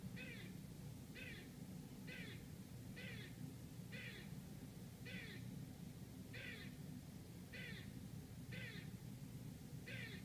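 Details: Squirrel barking outside a Manhattan apartment in New York City, giving a long, even run of about ten harsh, nasal barks, roughly one per second, over a constant low urban hum.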